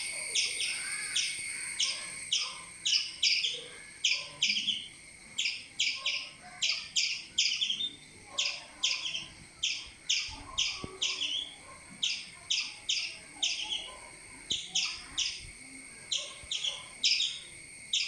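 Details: Squirrel chirping while a cat climbs its tree and becomes trapped: sharp, broadband chips repeated steadily in quick groups of two to four, about every half second throughout, over faint low background rumble.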